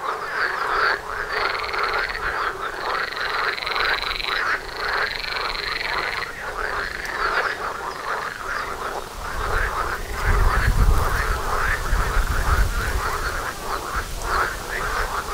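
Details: Pond frogs in full chorus near a front door, rapid overlapping croaks with a high trill early on, later joined by a low rumbling noise in the background.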